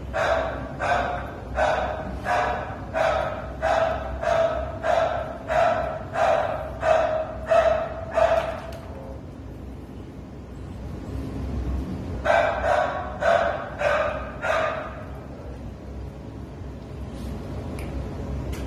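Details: Steady run of barking from Pluto, a Treeing Walker Coonhound available for adoption on 13 November 2019: about a dozen evenly spaced harmonic barks, a quiet gap of several seconds, then a shorter second volley.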